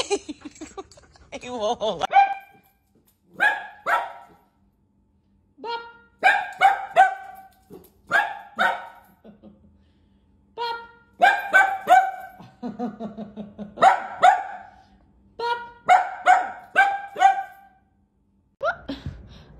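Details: A dog breaking loose barks in quick, repeated bursts of two to four harsh yaps, pausing briefly between volleys, while a person talks in the background.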